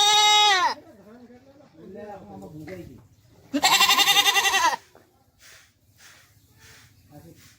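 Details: Haryana farm Beetal goat, a doe that recently gave birth to one kid, with her young; the tail of one bleat, then a full, shaky bleat of just over a second, with low human chatter in the background.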